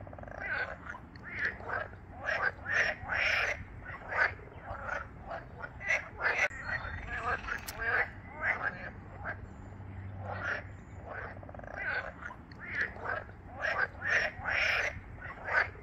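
A chorus of frogs croaks in quick, rattling bursts that overlap and repeat throughout.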